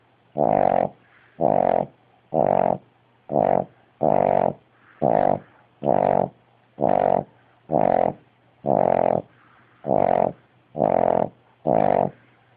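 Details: Dog sleeping with its eyes wide open, snoring loudly indoors: thirteen rough, droning snores with a throaty buzz, evenly spaced about once a second. A steady low electrical hum runs underneath.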